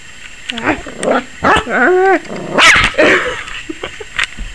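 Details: Maggie the Yorkshire Terrier puppy at 21 weeks, barking at the camera that seems to scare her: a mix of whiny rising yelps and sharp high yaps, with a person's voice mixed in.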